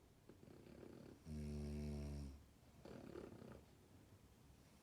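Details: French Bulldog puppy asleep, giving one loud, low, droning snore of about a second between quieter rustly breaths.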